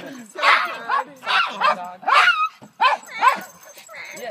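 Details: Small farm dog screaming like a gremlin, a run of short, wavering, harmonic yips and squeals, about seven bursts rising and falling in pitch, with a person talking over them.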